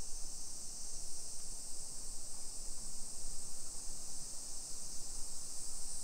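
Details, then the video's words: Cicadas in suburban Nagoya, Japan, on a summer afternoon, 28 July 2021 at 1 PM, heard from quiet hillside residential streets in Nisshin. A dense, continuous high-pitched buzz with low, pulsing background rumble. "Summer Cicadas Sounds"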